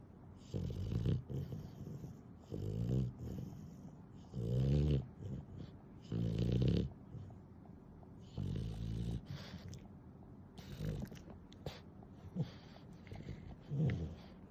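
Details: Snoring from Nana, an affectionate, clingy pet dog, sped up tenfold: deep, rumbling, low-pitched bursts repeat roughly every two seconds in a fairly steady rhythm, with near silence between snores.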